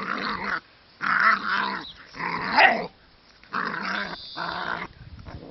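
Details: Dogo Argentino puppies growling in rough, buzzy bursts of about a second each, four bursts separated by short silent gaps, with harsh noisy tone throughout.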